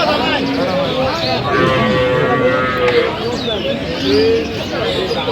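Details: Cattle market at Aftabganj, Dinajpur, 21 January 2026, with cows and calves for sale. Several short, tonal lowing calls rise above busy market speech, and a final brief moo comes near the end.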